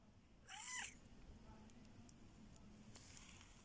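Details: Short-haired cats having fun outdoors in a rustic setting; one brief, clear meow rises and falls in pitch, followed by quiet background rustling and hum.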